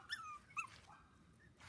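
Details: Havanese puppies in a litter born October 1st, four females and one male, with toys nearby; two short, high, squeaky whimpers in quick succession, then a quiet indoor room with faint rustling.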